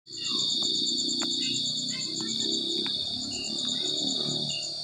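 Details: Crickets chirping in a continuous high, pulsed trill with two steady bands of rapid beats, over a low rumble of background noise and faint distant voices.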